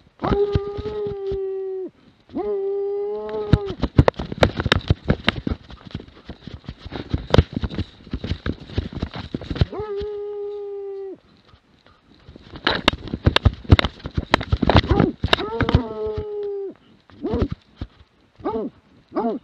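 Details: A Plott Hound named Lätti, recorded in 2017, gives long, steady bawling howls, each held a second or two, between bursts of rustling noise.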